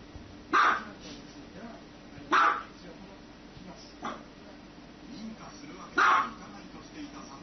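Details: A dog barking in a compilation of funny dog scenes: four short, loud, harsh barks at uneven gaps of roughly two seconds, with a steady low hum and faint background noise between them.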